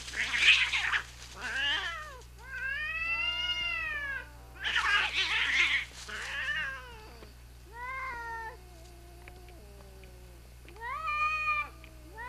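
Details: A mother cat and her son fighting, trading loud, wavering yowls that rise and fall in pitch, broken by harsh, hissing bursts, with several long, drawn-out howls.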